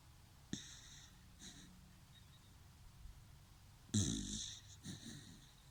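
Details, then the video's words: Dachshund snoring: a soft rasping breath early on, then a louder, drawn-out snore with a whistly nasal hiss near the end, followed by a shorter wheezy exhale, over a low steady indoor hum. "Такса храпит!"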